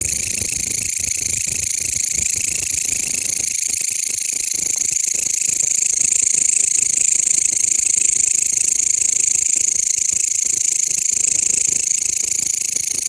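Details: Mecopoda elongata, a bush cricket, chirping loudly and continuously close by, a dense rapid buzzing pulse train of about four pulses a second, steady throughout with no other sounds.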